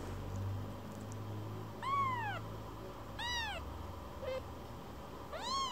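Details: Rescued baby kitten that keeps coming back to its carer to be stroked: three arched, rising-then-falling meows with rich harmonics, plus a tiny chirp, over a quiet indoor hum.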